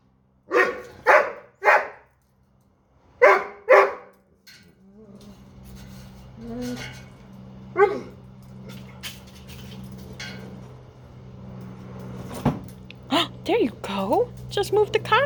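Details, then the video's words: Archer, a Doberman, upset and problem solving after dropping his bone under a dog bed cot and unable to reach it; short sharp yelps and whines in bursts, then a stretch of low hum before more rapid whimpering cries near the end. "Archer the Doberman Upset He Can't Reach a Bone He Dropped"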